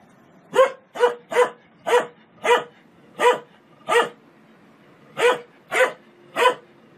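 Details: A dog gives about ten loud, clipped barks in quick succession, then a brief gap before three more. The barks are evenly spaced and the background is otherwise quiet.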